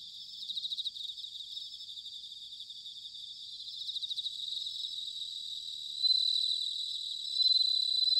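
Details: Autumn chorus of bell crickets recorded at Sanuki in Chiba, Japan: high pulsed trills in short bursts, building to bright sustained ringing notes near the end, several insects overlapping.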